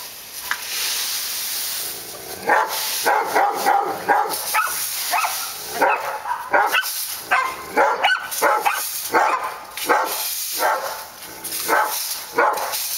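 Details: Barking dogs on Park Drive: a long run of irregular barks, some in quick doubles and triples, others isolated, with brief pauses between bursts and a steady hiss underneath.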